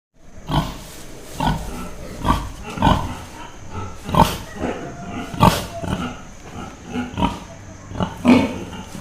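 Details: Pig on a farm giving a series of short, rough, low grunts, roughly one each second, some brief and some stretched, over a steady faint background hum.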